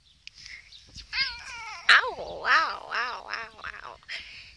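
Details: A grumpy male Russian Blue cat on antibiotics, perhaps in pain, meows insistently: about five loud, wavering, arched cries in quick succession, each swelling and dropping in pitch, with a few soft clicks between.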